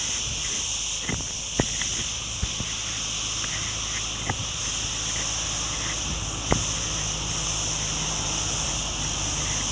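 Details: Forest crickets on the Ghafsai road, Ourtzagh, in Taounate province, keep up a dense, even, high trilling drone throughout, while sharp footstep clicks and a low rumble of distant traffic sit underneath.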